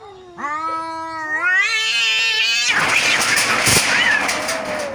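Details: Neighbour cats locked in a hard fight: a drawn-out rising yowl swells for two seconds, then breaks into a harsh noisy screech and hiss-like scuffle.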